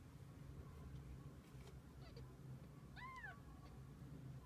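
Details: Kitten with its mother cat, spending the day together; one brief, high arched meow near the end, preceded by faint softer squeaks, over a constant low background hum.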